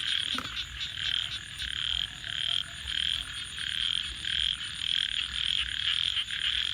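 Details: Frogs at night beside a campfire, massed high buzzy trills pulsing in quick waves, with a sharp crackle near the start and a soft low rumble underneath.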